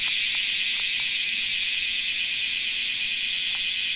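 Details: Continuous loud rasping drone of a large brown cicada, steady and harsh with a fast, slightly uneven pulsing throughout; a few faint clicks in the background.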